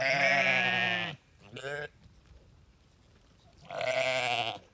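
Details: Sheep calls: a loud quavering baa lasting about a second, a brief fainter bleat just after, then a pause before another trembling baa.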